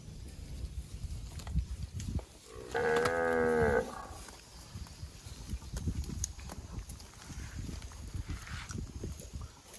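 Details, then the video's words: Fat cattle grazing on grass among bushes, one long harmonic moo lasting about a second, with rustling and chewing sounds of eating before and after. "Suara Sapi Sedang Makan"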